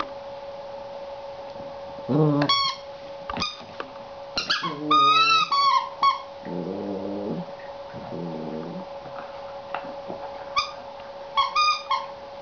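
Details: Seven-week-old Border Collie puppy, female, annoyed with her new toy during play indoors; high whining yelps with harmonics, a loud squeaky whine near five seconds, and short low growly bursts around seven and eight seconds, with a steady background hum.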